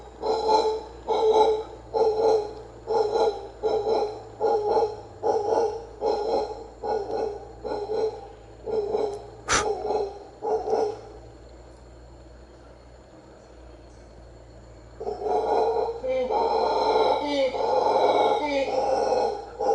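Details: A wild howler monkey at the ancient Maya site of Comalcalco, Mexico, gives deep, guttural roaring grunts in a steady pulsing series, about one a second.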